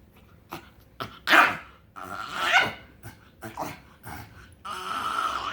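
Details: Pug called Frank vocalizing while happy: a few sharp grunts, then loud squealing, whiny moans holding a tone, ending in a drawn-out wailing whine.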